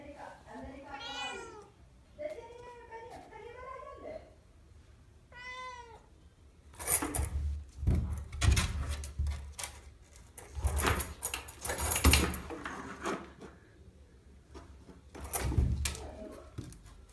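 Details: Domestic cat named Tina, indoors, fighting with a furry key holder and jumping at the door to pull down a key; three drawn-out, wavering meows in the first six seconds, then repeated loud thumps and bangs of play against the door.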